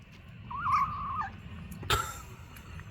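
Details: Young kitten, 36 days old, that left its cage and tries sardines for the first time while eating. A short, high, wavering mew rises and holds briefly, followed by a sharp click over a low background rumble.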